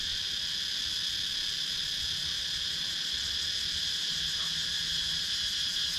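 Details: Steady, unbroken high-pitched hum of cicadas from the wooded countryside of Sakon Nakhon, Thailand, recorded with a GoPro Hero 9 action camera; only faint low rural background beneath it.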